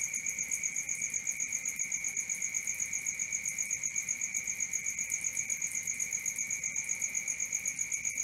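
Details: Crickets at night: a steady, high, pulsing trill with a bright upper tone over a lower one, beating quickly and evenly throughout, with faint background hiss.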